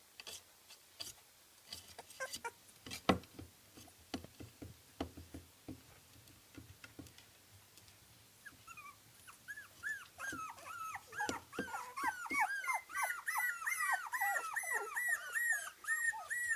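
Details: Young Kooikerhondje puppies, 24 days old, from a Swedish kennel. Clicks and rustling come first, then a growing chorus of rapid, overlapping, high arched whimpers and squeaks, several pups calling at once.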